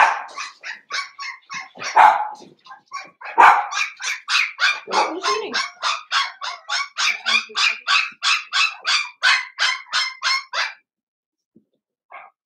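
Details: Blenheim Cavalier King Charles Spaniel puppies at seven weeks, five siblings sharing a home pen. Ten seconds of loud, nonstop yapping: rough, uneven barks at first, settling into a fast, regular train of high yips before stopping abruptly.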